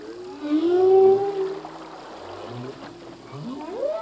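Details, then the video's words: Male humpback singing in the ocean: a swelling low moan rising slightly over a second, then quieter murmurs and grunts, ending in a steep upward sweep. "Whale song - full length humpback whale song"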